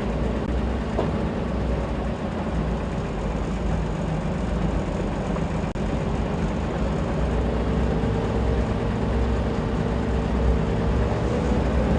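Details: Only the steady low rumble of an idling vehicle engine is heard, with no animal calls.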